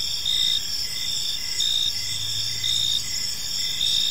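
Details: Crickets chirping in a park on an evening: steady high-pitched trilling bands with louder pulses swelling roughly once a second, over a faint low background hum.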